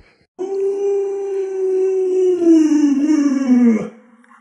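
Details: Luoluo, a pet Alaskan Malamute at home with the family's young child, giving a drawn-out talking howl over three seconds. The steady tone sags gradually lower and ends in a wavering downward slide.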